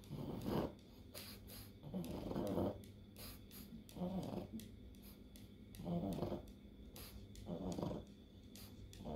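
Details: Pug fighting an encephalitis-related epileptic seizure, its rough snorting breaths coming in uneven bursts, interspersed with sharp tapping clicks in the room.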